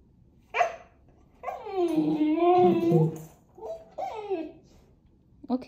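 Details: Talkative Siberian Husky puppy from the Pacific Northwest yelps once, then gives a long wavering, warbling howl-like grumble. Two shorter yodelling whines follow, and a man's voice urges him to keep talking.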